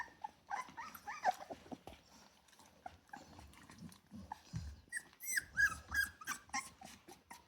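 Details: Rottweiler puppies from a litter of ten, 24 days old (just over 3 weeks), give high, thin whimpers and squeals in overlapping bursts.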